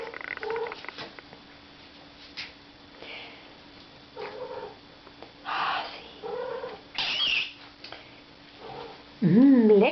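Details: A hungry tomcat calls out while smelling food, giving short, scattered nasal calls, then a loud, wavering, harmonic meow-like cry near the end, with human voices talking in a room.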